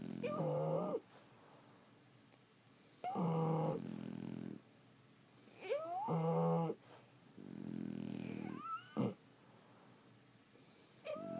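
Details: French Bulldogs sleeping at home. Deep, grinding snores arrive every two to three seconds, some mixed with thin whistling squeaks that climb in pitch, with a brief sharp snort near the end.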